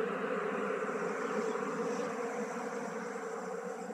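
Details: Honey bees buzzing during beekeeping as a colony is moved from a traditional log hive into a modern hive; a steady, dense swarm hum centred low with a bright band, continuous throughout.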